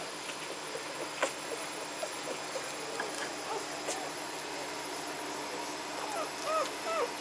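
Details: Magyar Vizsla puppies of the B litter vom Elsterhaus, 14 May 2015: a steady hiss with scattered faint ticks, then near the end two short, high whimpers that arch up and fall, each with a clear overtone.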